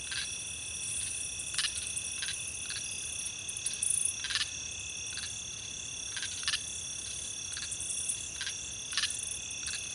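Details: Several insects in grass trill together in a continuous, shrill chorus, each holding a steady high pitch, with short, louder, sharper clicking chirps cutting through about every two seconds.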